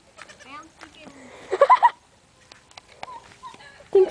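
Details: Pet goats playing outdoors: one loud, wavering bleat lasting about half a second stands out, preceded by soft chatter and followed by a woman talking and a brief second bleat at the end.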